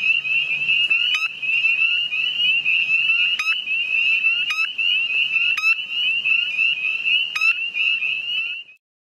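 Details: A gray tree frog found near Cumberland gives its mating call, a loud, high, buzzy trill running almost without a break.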